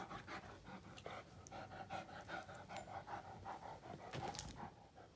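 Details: Two Great Danes, Finn and Magic, worn out after mouth-fighting play: fast rhythmic panting, roughly two and a half breaths per second, with faint clicks and a brief louder scuffle near the end.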